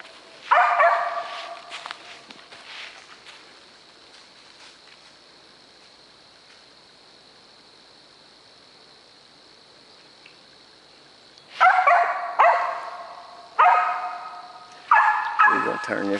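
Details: Dog treeing a squirrel on a South Georgia squirrel hunt, giving loud repeated barks in clusters near the start and end with a long quiet stretch between, a constant high-pitched hum running throughout.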